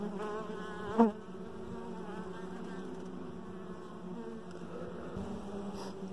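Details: Honey bees crowding around their dark queen inside the hive, a warm continuous buzzing hum with a sharp knock about one second in, then the droning carries on steadily.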